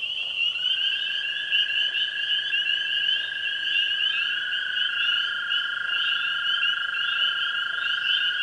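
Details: A dense chorus of tree frogs, spring peepers and green frogs at a pond on a spring evening, their high trilling calls blending into a continuous ringing drone.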